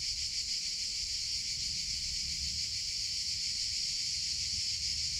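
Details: Summer chorus of cicadas, a loud sustained high buzz with quick faint pulsations, steady and continuous over a few seconds against soft low background rumble.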